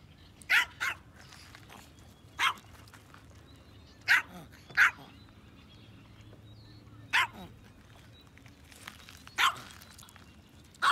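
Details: Yorkshire Terrier, shown fishing, giving short sharp barks spaced irregularly, about seven across the stretch with gaps of one to three seconds, over quiet outdoor background.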